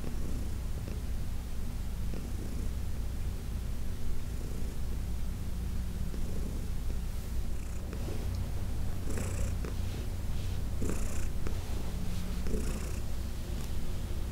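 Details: Heidi, an older female cat who spent ten years at the Humane Society of New York City, purrs steadily through a massage; constant low rumble with scattered soft rubbing and rustling sounds.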